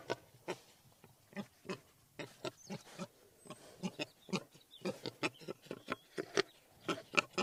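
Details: Short, gruff grunts from wild boar, spaced about two or three per second, with faint high twittering of small birds in the background.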